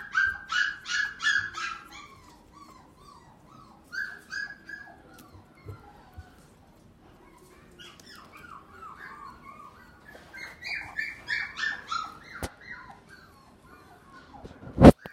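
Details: Yorkshire Terrier at a pet shop in Japan: repeated high, squeaky whining yelps in short bursts of three or four, pausing, then a longer run of rising whines, with faint background sounds and a sharp click near the end.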